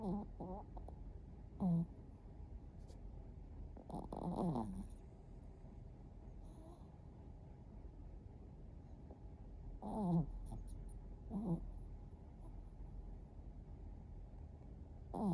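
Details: Haru, a Chihuahua aged one year four months, snoring while asleep with eyes open: short, gurgling snorts with falling, rattly tones come irregularly, near the start, around 2, 4 to 5, 10, 11.5 and 15 seconds, with quiet breathing between.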